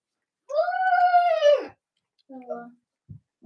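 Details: Cavalier King Charles Spaniel puppies of Robin and Myra, indoors in late October: a sustained arched cry of over a second, steady then falling away, followed by a shorter lower whimper and soft thumps.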